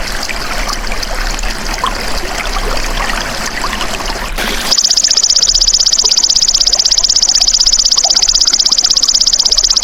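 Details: Golden grasshopper sound, played as a tutor for songbirds: broad hissing, watery noise gives way midway to a loud, continuous, high-pitched pulsed buzz that holds steady until the end.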